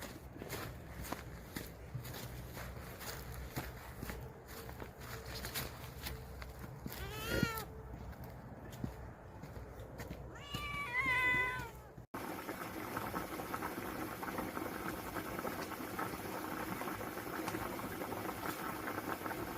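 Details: Stray cats living in a vegetable garden are being given a specially made nourishing meal. Two short harmonic meows sound midway, a few seconds apart, over steady background rumble and rustling.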